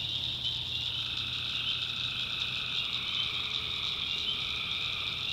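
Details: Night chorus of tree frogs from a North Carolina backwoods swamp, many voices merging into a continuous shrill, ringing drone with a softer lower trill drifting in and out, no pauses.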